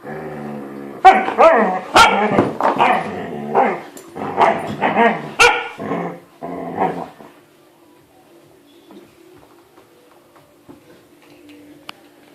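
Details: Siberian Husky puppy trying to get an adult dog to play, a dense flurry of rough yowls and growly barks for about seven seconds, then fading to a quiet, low steady hum.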